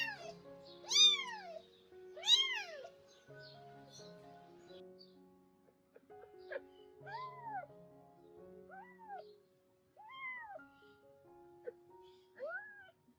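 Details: Rescued mother cat and her young kittens near the time of her spay surgery: two loud, high, arched meows early on, then softer, lower mews roughly every one to two seconds, with gentle piano music throughout.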